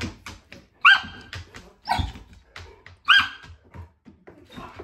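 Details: Newly rescued deaf cattle dog pup meeting another dog at a foster home; two short, high, rising whining yelps about two seconds apart, amid scuffling, rustling and panting noises.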